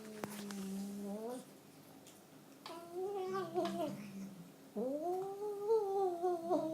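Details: Domestic cat making funny noises: three long, drawn-out yowling meows, the first flat and low, the second wavering, the last rising sharply then arching and sliding down, with short quiet gaps between them, indoors.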